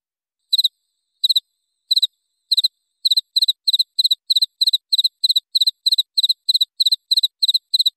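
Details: Cricket recorded as training material for songbirds: a few slow, widely spaced triple-pulsed chirps that speed up into a steady run of about three per second, with a clean background.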